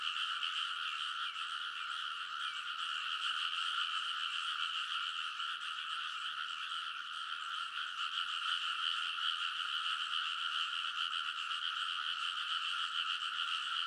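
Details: Midnight early-summer frog chorus from rice paddies in Kōnosu, Saitama, Japan, recorded with a TASCAM Portacapture X8; countless callers form a continuous pulsing croak, about two and a half pulses per second, level throughout.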